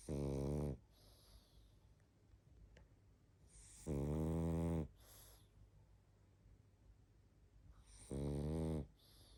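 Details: Barney the pug, sound asleep, produces three strong, throaty snores at regular intervals of about four seconds, each followed by a brief airy exhale and soft snuffling in a calm indoor setting.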